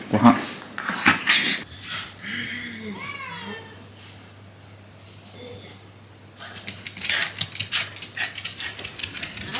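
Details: Shiba Inu named Hachi indoors in the morning before a bath it dislikes, giving a drawn-out whining vocalization that rises and falls in pitch over about two seconds, with a person talking before and after.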